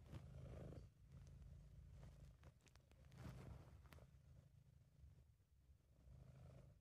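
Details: Sabu, a British Shorthair cat, purring while relaxed and happy, amateur recording: a low rumbling drone that swells and fades with each breath, with a few faint clicks and soft rustles in the quiet background.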